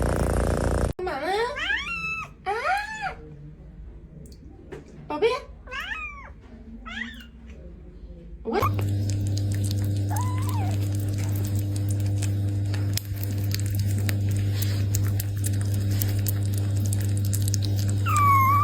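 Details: Kitten uttering a quick series of short, high, rising meows for the first few seconds; a loud, steady low hum and broadband noise then take over, with one or two faint meows heard through it.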